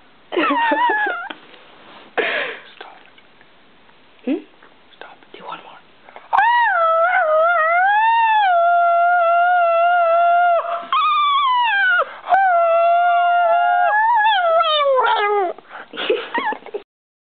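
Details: Pet dog making a strange, funny noise: long, tuneful whining howls that waver up and down in sustained stretches of several seconds, preceded by short breathy sounds and soft whispering voices.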